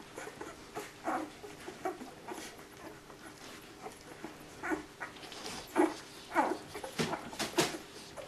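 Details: Nine puppies jostling and searching for milk indoors; high squeaky whimpers and short yelps come in irregular bursts, rising and falling, several pups overlapping with soft rustling between calls.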